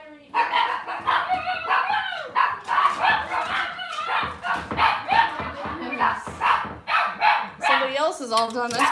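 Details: Cavalier King Charles Spaniels on an indoor kitchen camera on a cloudy Monday morning, giving a dense run of rapid, high yapping barks, several per second, with people talking in the background.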